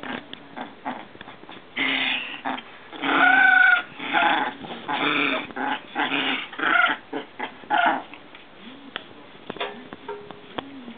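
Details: Three Maltese sisters from a mother-and-daughters family playing together with a frog, "Kari family"; rough, noisy growl bursts of one to two seconds come in a loose series, with soft snuffles and small clicks in the quieter gaps.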